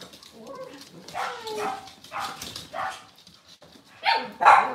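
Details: Cavalier King Charles Spaniel on a kitchen cam during a cloudy Monday morning live stream, giving soft, irregular barks and yips over a murmuring background, ending in two louder barks.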